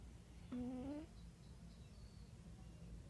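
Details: Wera the cat snoring indoors: a single short whistled breath that rises slightly in pitch and lasts about half a second, followed by quiet room hiss.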